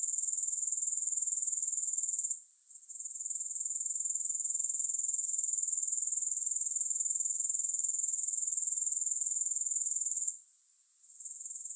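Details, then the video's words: Grasshoppers, recorded without music, produce a steady, high-pitched, finely pulsed buzz at about four pulses per second, briefly fading out near two and a half seconds and again near ten seconds before resuming. "Grass Hopper Sounds"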